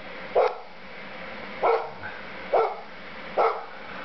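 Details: A Golden Retriever barks at falling snow in January 2010, giving four single, mid-pitched barks spaced roughly a second apart.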